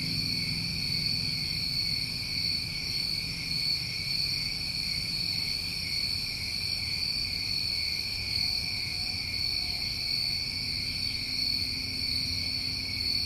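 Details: Massed summertime crickets from New England produce an unchanging high-pitched trill in two bands, steady and seamless, with a quiet low murmur in the background.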